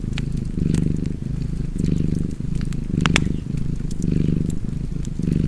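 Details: Cat purring beside a fireplace: a low, steady rumble that swells and fades about once a second with each breath, with sharp crackles and pops from the fire over the top.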